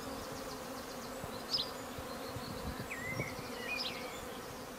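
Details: A May garden swarm of minimally managed honey bees gathers at a hive, giving an even humming drone beneath scattered bird chirps and brief whistled notes.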